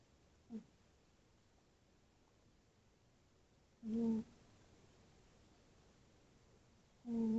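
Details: A tabby cat named Tootsie snores while asleep. A faint brief snore is followed by two stronger humming, whistly breaths, each roughly three seconds apart, in a quiet room.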